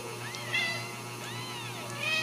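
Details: Ragdoll kittens raised indoors without cages at a cattery in central Kansas; a few soft, high arched mews rise and fall at intervals over a steady background hum and tonal drone.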